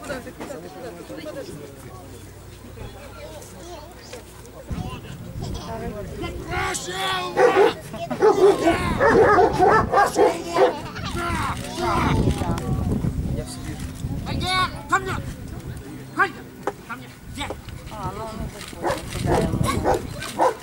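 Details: A German Shepherd named Holger competes at the Dogs Villages Cup 2015 in Ukraine, trained for guard and protection work. Voices run throughout, and a dense stretch of barking rises in the middle, followed by scattered single barks.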